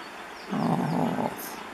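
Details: Hippopotamus in the Olifants River, Kruger National Park, where males fight for territory; a short low, rough, droning call lasting under a second over a quiet outdoor background.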